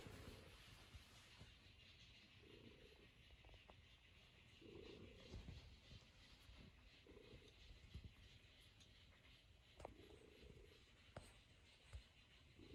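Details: Norwegian Forest Cat settled on an owner's lap and kneading, giving a steady low rumbling purr that pulses about every two seconds, six swells in all, with a few soft clicks and a quiet background hiss.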